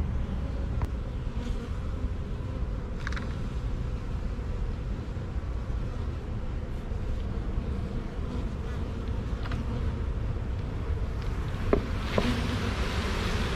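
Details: Honey bee swarm, caught from a tree branch after the queen fell in on the first shake, marching into a hive box over a drywall board; dense low droning hum throughout, with a few faint clicks.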